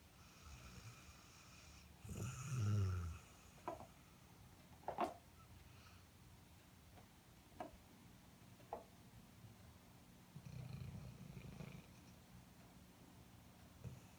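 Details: Sleeping Airedale Terrier snoring: low rumbling snores around two to three seconds and again near eleven seconds, with a few short snorts and clicks between in a quiet indoor room.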